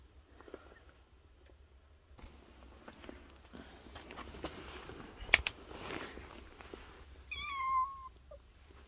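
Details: Stray yard cats showing up again outdoors. After several seconds of shuffling and rustling, a single clear, slightly falling meow near the end, followed by a faint short sound.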